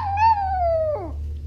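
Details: A female Chihuahua in training gives a short howl, a sustained tone that gently rises then sinks and breaks into a quick downward slide, over a steady low hum.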